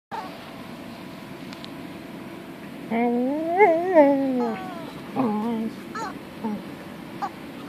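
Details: Pet dog vocalising at her toy chicken indoors, acting oddly: a quiet room, then a run of wavering, whiny rising-and-falling calls around three to four seconds, followed by a few shorter yelps and squeaks.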